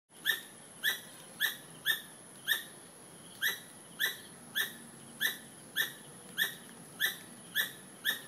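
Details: A squirrel calling: sharp, tonal squeaks with harmonic overtones, each a short downward-sliding note, repeated steadily about every half second, fourteen in total, over a faint constant high hiss.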